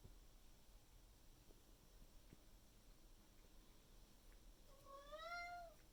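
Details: Indoor Maine Coon cat Miku yelling at its owner in the morning, pressing for food and water; a single long, wavering harmonic meow arrives late after low household rustle.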